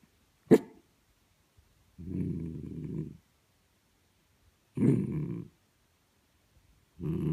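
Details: A sleeping miniature dachshund snores in a quiet indoor room: low, rough, rasping breaths about a second long, repeating every two to three seconds, after a sharp click at the start.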